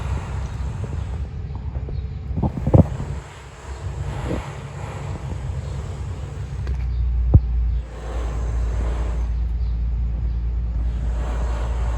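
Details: Outdoor street ambience with wind rumble and passing car noise, a few knocks, and no meowing or other animal sound.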